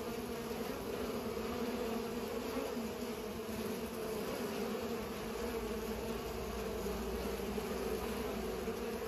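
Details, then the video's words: Pollinating bees give a constant layered drone, low and mid-pitched humming blending into one even, unwavering buzz with no other clear sounds. "Bees are pollinating"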